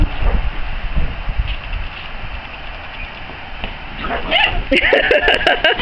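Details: Ten-week-old puppies from the Ace and Ivy litter play with their older brother Zack, a dog from Ivy's first litter still warming up to them; a burst of short, high, arching yelps and squeals near the end, after muffled rustling and voices.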